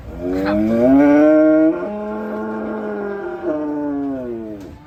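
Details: Cattle from an Indonesian compilation of raging cows give a long, loud, drawn-out moo with a rich harmonic tone, rising then levelling off, followed by a lower sustained second moo that bends slightly up near the end.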